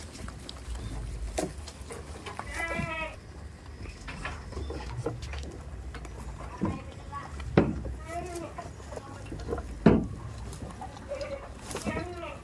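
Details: Farm goats kept in a village goat-farming venture, bleating several times in wavering, nasal bursts with stacked overtones, spaced irregularly across twelve seconds, over people talking nearby and a steady low rumble.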